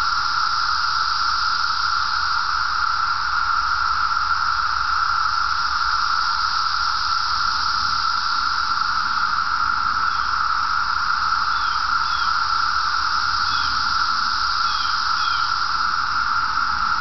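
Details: Periodical (17-year) cicadas in an Illinois forest preserve on 14 June 2007 fill the air with a steady, unbroken droning chorus that never pauses.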